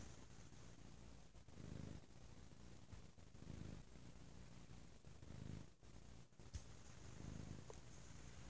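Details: Bo the cat purring very loudly on a lazy Sunday indoors: a deep, rumbling low purr that swells with each breath, about every two seconds, with faint rustling between.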